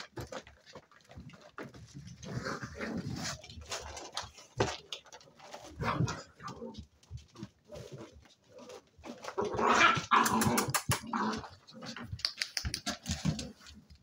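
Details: Seven-week-old spaniel pups at play, trading rough, noisy growls and short yelps in irregular bursts, with a louder tussle of overlapping squeals near the end and scuffling between outbursts.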